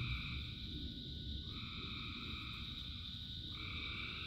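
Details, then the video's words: Frogs singing in rain in a massed chorus: a constant high drone plus a second layer that breaks off and restarts about every two seconds, all over heavy rain hiss. "Frogs in Rain 2 Hours of Frogs, Thousands of Frogs Singing"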